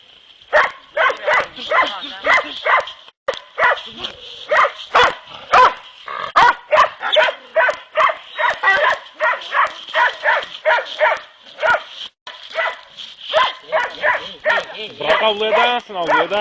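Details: Kopoy and Barak, dogs in training for boar hunting in Turkey, bark and yelp almost nonstop, dense overlapping strident barks over a continuous high whine, with arched yodelling yelps near the end.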